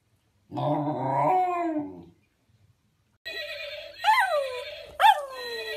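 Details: Dog giving a rough, low, growling howl lasting over a second, then after a pause a series of higher whining howls, each rising sharply and falling away.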